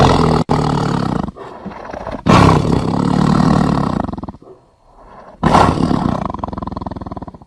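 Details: Tiger giving a run of rough, throaty roars, with loud broadband bursts near two and a half and five and a half seconds linked by sustained rumbling growls that fade between them.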